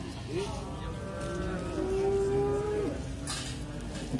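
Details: Cattle at the Muntilan animal market in Magelang, recorded in the morning: one long, steady, level moo of about a second, with a short lower call before it and a busy background murmur of market noise.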